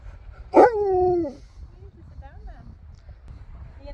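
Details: Husky giving one loud descending vocal yowl, a strong harmonic wail sliding down over about a second, followed by softer wavering murmurs and quiet room background.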